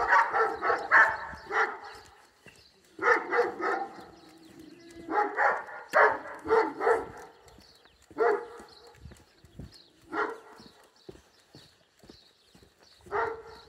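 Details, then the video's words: Two Rhodesian Ridgebacks barking loudly from a balcony across the street, about 40 metres away, at a passing Karakachan dog. Harsh, harmonic-rich barks come in bursts of two to four, separated by pauses of one to two seconds. "zwei laut bellende Rhodesian Ridgeback"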